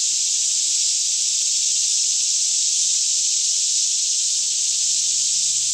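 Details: Many cicadas singing together by day in a Kentucky forest near Franklin, about 10am, air fairly still, recorded with a Canon 5D Mk2: a seamless high buzzing wash that never breaks, over a faint low background hum.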